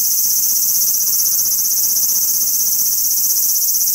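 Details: Large brown cicada singing on a cherry tree in a park: a loud, continuous sizzling drone, steady in level throughout, with no pauses and no other clear sounds.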